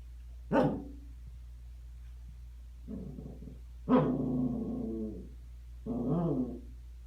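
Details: Scottish Terrier that grew angry at being recorded, first hiccuping, gives a sharp yelp followed by three low, drawn-out grumbling growls spaced a couple of seconds apart over a steady low hum.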